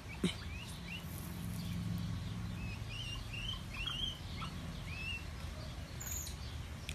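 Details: Limbani, a chimpanzee at ZWF Miami, makes low happy grunts while eating a food he loves. A deep, buzzy murmur fills the first three seconds, while small birds chirp and whistle high above.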